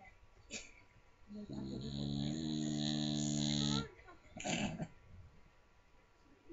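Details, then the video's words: Small Staffordshire bull terrier asleep, snoring very loudly: one long, rough, droning inhalation lasting about two seconds with a strong low rumble and a hissy upper edge, followed by a short breathy snort. Quiet room background. "Cute little Staffordshire Bull Terrier snoring very loud."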